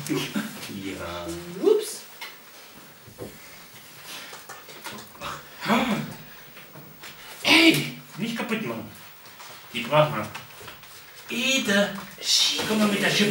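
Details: Golden Retriever puppies of a B litter at a breeding kennel in the Westerwald, Germany, give high whines and whimpers indoors, one rising whine early on, then scattered short squeaky bursts, with human voices talking throughout.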